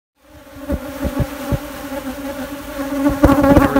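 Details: Honey bees from a queenless colony during queen rearing, reactive to the brood nest being opened; steady droning hum with a clear low tone and overtone, punctuated by sharp clicks and knocks, growing louder toward the end.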